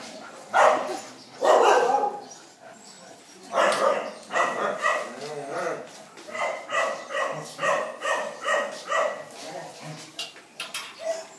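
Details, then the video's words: Phu Quoc Ridgeback at Quý Khuyển. Voices and a few loud barks open the recording, then a steady series of quick, evenly spaced barks follows, about two per second. "Chó phú quốc tại quý khuyển"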